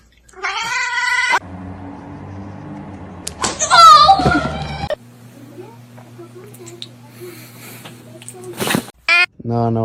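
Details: Domestic cat meowing indoors: a short, bright harmonic meow opens, then a wavering, bending meow a few seconds later, with a person talking to the cat and a low steady hum between calls.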